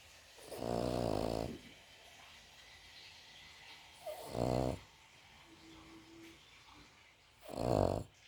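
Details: Cavalier King Charles Spaniel asleep, snoring: three long rasping, low buzzy snores, each about a second long, spaced three to four seconds apart, with quiet room hiss between.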